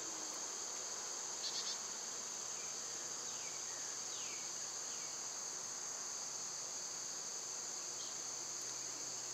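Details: Unbroken shrill buzzing of summer cicadas in two high steady tones. A short burst of bird chirps near the start and several faint falling whistles sit beneath the drone.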